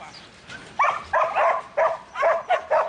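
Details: After a quiet start, Buttons, a young male Border Collie in training, gives six sharp, clipped barks, one roughly every third of a second.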